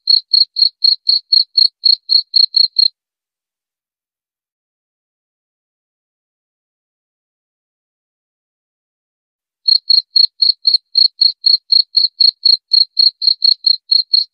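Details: Chirping cricket, offered as a rat-repelling sound: a run of rapid, evenly spaced high chirps for about three seconds, then a long silence of nearly seven seconds before the same quick chirping resumes and continues to the end.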